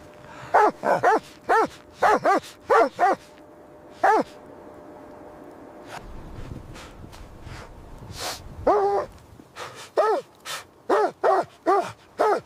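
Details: Puppies and their mother dog playing happily in fresh white snow; bursts of sharp, quick barks in rapid runs, with a quieter gap and a few scuffling thumps in the middle before the barking resumes.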